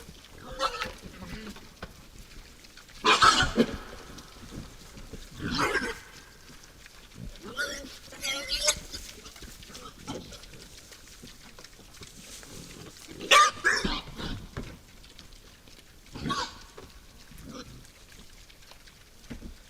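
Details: Wild boars at night at a forest feeder: sharp, harsh squealing bursts break out every few seconds, about five loud outbursts separated by quieter snuffling grunts.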